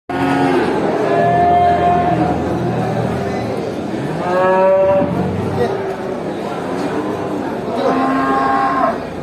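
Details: Cows at a traditional animal market mooing: several drawn-out, harmonic moos, one around the middle rising and bending, others lower and rougher, over a steady background murmur of the crowded market.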